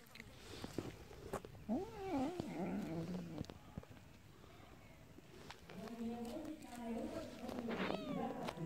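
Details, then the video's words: Kittens at home meowing: thin, wavering mews that rise and fall, heard in two bursts with a quiet gap between them, over steady background hiss and scattered clicks. "kittens meowing"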